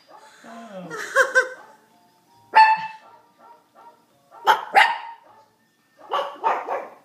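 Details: Brussels Griffon dogs howling together in a recital, called tone deaf; wavering whining howls mixed with short yelps and bark bursts in three separate groups.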